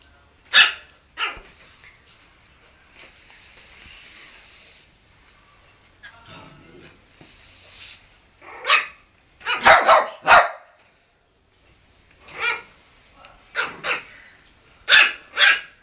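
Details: A brown puppy gives sharp, high-pitched barks at a white dog, single and in quick bursts of two or three.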